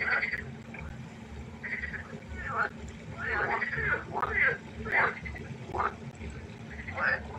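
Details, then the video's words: Night-time pond chorus of frogs: a run of loud, rasping, quacking croaks about every half second to second, several callers overlapping, with a faint steady hum behind. "1 Stunde Froschkonzert. Frosch Geräusche quaken. Frösche Geräusche Konzert"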